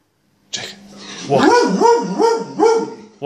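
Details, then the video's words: Jake the Gordon Setter grumbles in annoyance while repeatedly called for walkies. He gives a run of four tuneful, wavering 'woo-woo' moans, each rising and falling, after a short opening yelp. Human voices are faintly present. "Jake the annoyed Gordon Setter"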